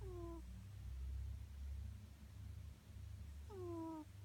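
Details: A sleeping cat snoring: a steady low rumble through most of the clip, with short squeaky falling tones with harmonics at the start and again near the end.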